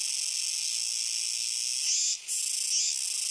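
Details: Kuroiwa's cicadas on the Akina River on 10 September 2021, calling noisily: a dense, continuous high buzzing chorus broken by one brief dip.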